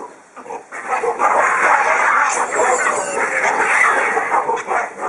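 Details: Male baboons fighting; in harem groups males jealously guard their females and fight rival males. Dense, harsh, overlapping screams and barks follow a short quiet start, loud and continuous, with rapid irregular bursts.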